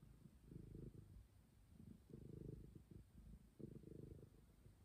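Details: Low, throaty purring from Momi, a stray cat, rising and falling in three or four breathy surges over a few seconds, with nothing else audible.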